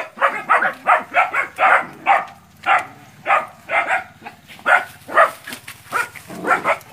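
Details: Nine young dogs confronting a big water buffalo in training, West Sumatra, Indonesia: steady, fast series of shrill barks, roughly two to three per second, from several puppies over a low background rumble.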